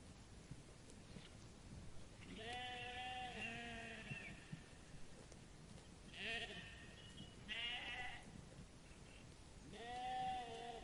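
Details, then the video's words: Meadow sheep grazing on grass give a run of bleats. One long quavering bleat comes first, then shorter ones at irregular gaps, with a final rising bleat near the end. Low background rumble throughout. "The relaxing sound of sheep bleating and eating grass in the meadow"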